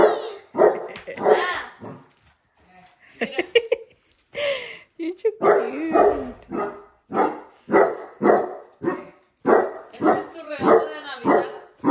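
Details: Basset Hounds near heart balloons, which they dislike, bark in rapid, raspy bursts of nearly two per second, mixed with brief whines and human talk in the room.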